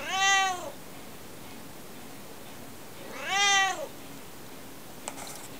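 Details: Chatty house cat talking non-stop, giving two clear arched meows roughly three seconds apart, each rising and falling, followed by a faint tap in a quiet room.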